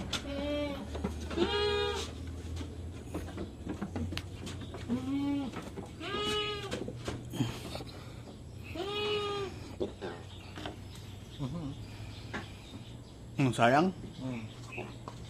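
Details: Goats being given iron injections bleat repeatedly, a series of wavering, nasal cries spaced roughly every two seconds, ending with a higher, strained bleat, over a low electrical hum and faint handling noise.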